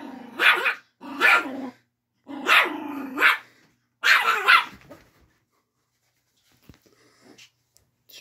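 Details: Chihuahua angrily defending its bed: a rapid run of four harsh snarling barks with growled undertones, roughly one per second, then the dog falls silent apart from faint clicks and movement.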